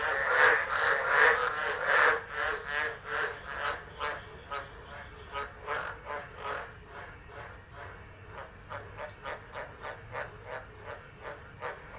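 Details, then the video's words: Chorus of tropical frogs at Driver, Northern Territory, Australia, recorded on a phone during a tropical storm in December 2013; rhythmic croaks repeat about once a second, loud at first then quieter, over a constant high-pitched buzz. "Tropical Storm Frogs Singing"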